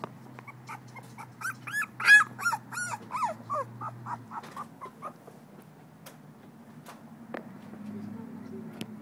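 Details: Calypso, a two-week-old female blue-nosed American Pit Bull Terrier puppy, recorded 21 December 2011, gives a run of high, thin squeaky whimpers rising and falling in quick bursts over four seconds, with a woman's soft voice calling her name nearby.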